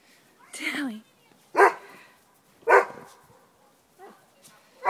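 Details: Dogs Rudy, a Doberman, and Tally, a Miniature Pinscher, playing in snow: a human voice first, then sharp single barks at irregular gaps of about one second, with quiet pauses between.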